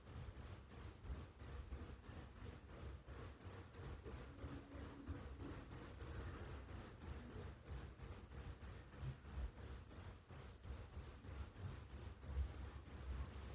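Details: Night-time cricket song heard in the countryside: evenly spaced high, shrill chirp pulses roughly three each second, very regular and sustained throughout, with faint low background hum.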